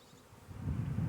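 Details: Honey bees living under a bee hive, a low droning hum that swells after half a second and stays steady and loud to the end.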